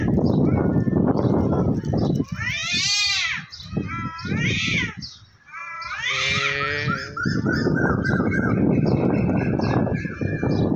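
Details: Two cats, one white and one black, fighting and threatening each other on top of a tree; two bursts of loud, wavering, harmonic yowls rising and falling in pitch, with people talking before and after.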